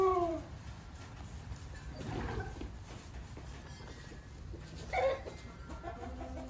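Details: Nubian goat kids just days old, kept on a small farm, give brief, high-pitched, slightly falling, wavering bleats; one opens the recording and another comes near the end, with a soft low rumble between against a quiet background.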